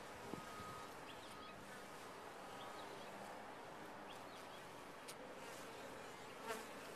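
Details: Bees humming in a top-bar hive: a soft, constant swarm drone with a couple of sharp taps and clicks on the wood.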